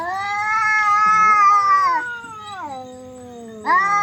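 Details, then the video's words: Fighting cats making very loud, strained yowling wails that hold high, then slide down into a low drawn-out moan before a sharp, loud yowl bursts out again. "cats fight very loud and weird sound"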